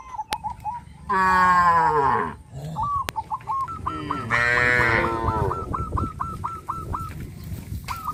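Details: Village farm cows moving off a sidewalk into fields: two long, strong moos about three seconds apart, with a steady string of short, hooked bird calls repeating in the background and some sharp clicks.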